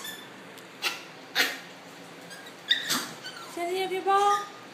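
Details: Welsh Terrier puppies, seven weeks old, giving thin high-pitched whines and squeaks that cluster in the last second and a half, some tones sliding upward, after a quieter stretch of scattered clicks and knocks.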